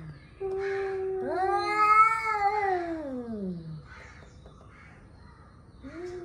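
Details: Male cats, angry and warming up to fight, trade yowls: a long moaning wail climbs then slides steeply down, overlapping a steadier tone, then fades before a short new yowl begins.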